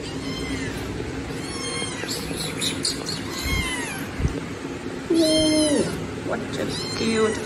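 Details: Baby kittens meowing loudly while asking for food: repeated high thin meows that fall in pitch, several kittens calling over each other, with steady background noise and a man talking to them.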